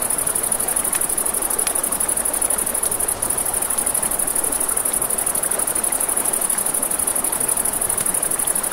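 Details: Night-time crickets by a river give a continuous, piercing high trill, layered above a broad hiss of flowing water and a few scattered snaps from crackling campfire flames.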